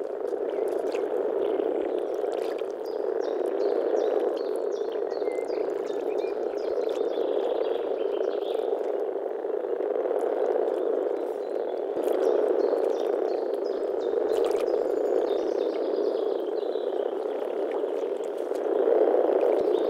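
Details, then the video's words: European frogs croaking in spring in the Czech Republic: a dense, continuous chorus of low purring croaks from many overlapping callers, steady throughout, with faint high ticks above. "European frog calls"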